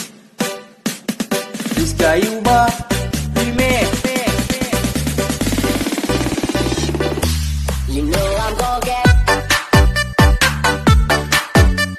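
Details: Upbeat electronic dance music with a steady pulsing beat and bright synth lines throughout, no animal voice.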